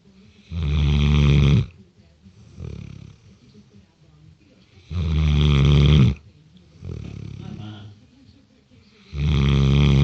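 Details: A 6-month-old Great Dane snores deeply while sleeping, with loud rumbling breaths roughly every four seconds.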